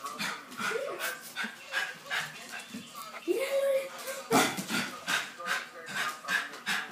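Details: Westie reacting to the television: a rising whine, then one loud sharp bark, followed by softer short sounds, with TV speech running underneath throughout.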